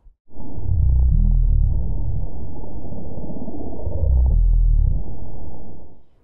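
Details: A gray whale, a baleen whale, gives low-pitched, rumbling groans with pulsing bursts that swell and fade.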